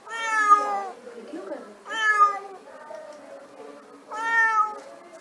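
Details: Domestic cat calling for food, giving three loud, drawn-out harmonic meows about two seconds apart, each rising then falling, with quieter murmuring sounds between them in an indoor setting.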